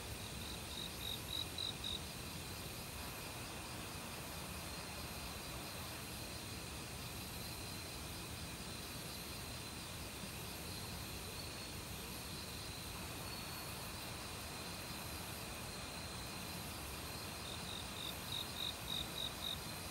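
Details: Autumn crickets in the woods, mixed with a chorus of other insects and a flowing mountain stream. Brief clusters of rapid, high chirps at the start and close, separated by a steady buzzing drone and water rush.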